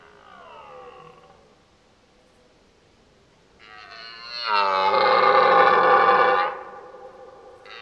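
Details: Rutting red deer stag bugling in the mating season: a faint, falling, whistled cry, a quiet pause, then a loud, rising, harmonic bellow lasting about two seconds before it drops away.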